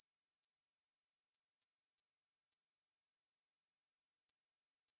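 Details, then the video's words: Song of a Korean bush cricket, 2020 recording from Korea's National Institute of Biological Resources: a steady, shrill, rapidly pulsing buzz, even in loudness and pitch throughout, with no other sounds. "중베짱이, 여러번 듣기, 곤충소리"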